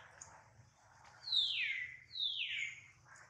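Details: Two loud, piercing screams from baby monkey Duke, hurt when his mother Duchess fails to catch him. Each cry starts high and slides smoothly downward over about half a second, with a low hum beneath.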